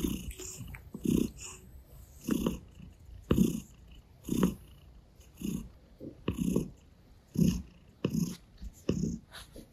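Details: Purring gray Russian Blue cat, kneading on a stomach and licking a hand; deep throbbing bursts return roughly every second, mixed with soft tongue smacks and rustling.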